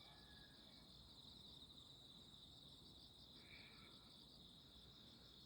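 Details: Night insects on a hot summer evening, 11 August 2025, recorded on a walk through quiet alleys: a continuous high, pulsing shrill hum with occasional short lower buzzing phrases, one clear burst just after three seconds. The background is still.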